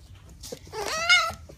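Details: Pet red fox pouting indoors, giving one short nasal whine that rises slightly and ends on a brighter, higher-pitched note; a person talks to it nearby.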